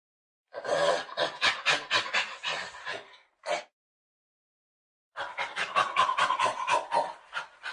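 A Nigeria-Cameroon chimpanzee calls in quick, harsh, breathy pants, each a short rasping pulse repeated roughly twice a second. A loud burst is followed by a brief pause, then a second run of panting calls.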